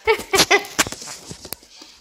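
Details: Molson, an eight-week-old tricolor Beagle puppy, indoors after discovering a dried liver treat: three loud, tonal, whining yelps in quick succession within the first half second, followed by faint clicks and rustling.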